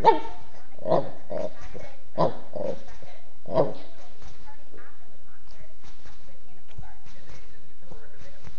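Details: Mastiff cross dog giving a handful of short, deep, gruff barks spaced about a second apart in the first four seconds, then falling quieter, with human voices talking nearby.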